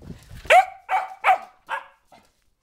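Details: Sophia, a 4-month-old springer spaniel puppy going slightly crazy, gives four quick high yapping barks within about a second and a half, the first loudest, then trailing off into a faint final yip.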